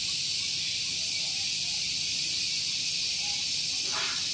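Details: Cicadas singing in the morning at Gunung Geulis, Bogor, West Java, near a vehicle parking area: a dense, steady, shrill hiss-like drone filling the high range, with a brief faint sound near the end.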